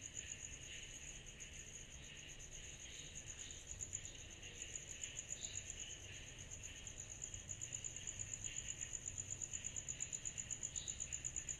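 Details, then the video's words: Cicadas calling through a summer night, a high, fast, even pulsing that never pauses, layered over a hazy buzzing chorus and faint low rumble. "Summer Night Cicadas Sound Effect"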